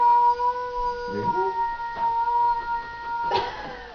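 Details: Austin, a pet cat meeting another cat named Furley, tail puffed up, holds an unbroken, even, moaning yowl on one pitch for four seconds while people talk quietly over it in a small room.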